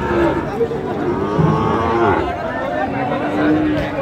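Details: Sahiwal bull calf bought by a farmer in Rangpur, Bangladesh, on 5 December: a low, drawn-out lowing moo rises through a busy outdoor scene, with steady chatter and voices of a crowd all around.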